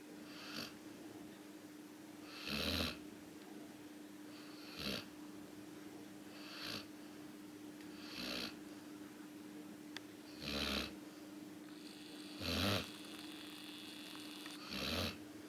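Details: Two pet dogs sleeping together indoors, snoring in soft breathy bursts about every two seconds, a steady low hum running underneath throughout.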